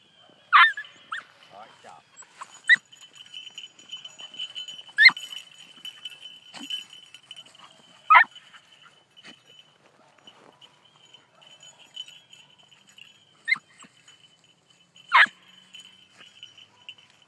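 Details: Four-month-old beagle puppy running a rabbit, with single loud yelping barks spaced a few seconds apart and a steady whine underneath; a person speaks faintly between the yelps.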